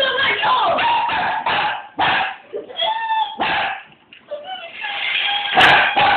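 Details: Border Collie (Canis lupus familiaris), barking: agitated, angry barking at a car.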